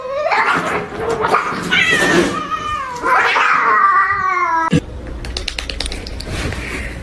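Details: Domestic cat letting out loud, drawn-out yowling meows, several long wavering cries that rise and fall in pitch over about five seconds, then a sudden clatter and rustling noise.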